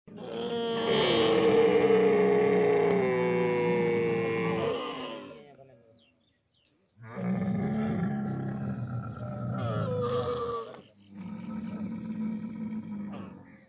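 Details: A camel being milked by hand in the desert gives long, harsh groaning roars with a gurgling, rumbling tone. There are three drawn-out bursts separated by short pauses, the first the longest and loudest.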